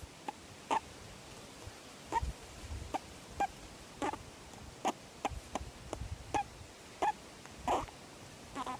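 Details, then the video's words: A young grey-headed flying fox named Jeddah, kept in care after injuries, enjoys being petted. He gives short, bright, tinny squeaks roughly every half second to second, with soft handling noises in between. "Juvenile bat squeaks while being petted"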